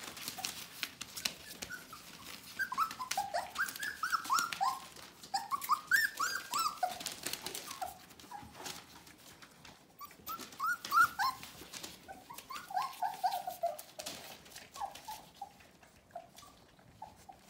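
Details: Bohemian Shepherd puppies, F litter, about to turn four weeks old, whining indoors: repeated high, wavering whimpers that slide downward, several pups overlapping in quick runs, with pattering paws and rustling throughout.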